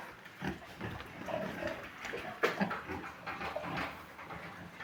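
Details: Large White pigs at a farm uttering scattered low grunts and a few sharper squeaky snorts, spaced unevenly over a background of shuffling noise.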